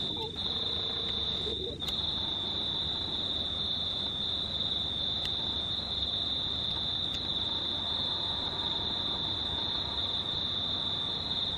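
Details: Under a near-full moon on 19/03/2019, crickets sustain a constant shrill high-pitched trill, punctuated by a few sharp clicks and a brief low tone at the start.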